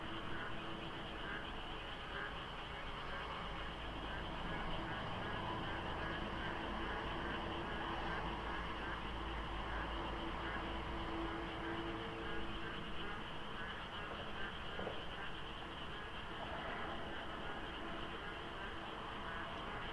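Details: Frogs chorusing at dawn during the rainy season beside the Deokso IC expressway interchange, under light fog with little traffic: a dense, unbroken wall of overlapping croaking and trilling calls, their numbers hard to judge, over a low rumble of road noise.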